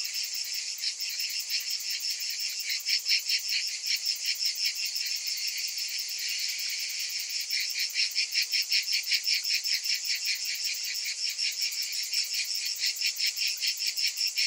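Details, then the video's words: Cicadas heard on a summer day: a bright, sizzling drone with regular pulsing beats that grow sharper and more distinct in the second half. "Cicadas in Summer"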